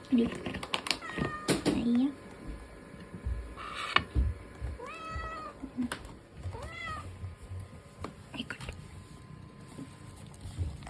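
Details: Ragdoll cat named Latte, a young pet born August 2022, meowing for food; a few short rising-falling meows spaced across the clip amid household clatter, tapping and knocks.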